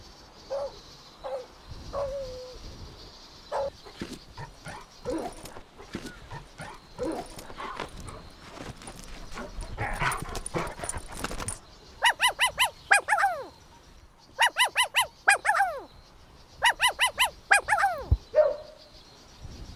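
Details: Playful Golden Retriever puppies outdoors in a meadow; scattered scuffling and soft vocal sounds give way to rapid bursts of high, bright yips in groups of three to five.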